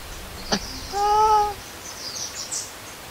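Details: Baby monkey called Lori, left alone by its mother and crying for milk, lets out one loud, smooth arched wail lasting about half a second after a sharp tap, with faint high twittering behind.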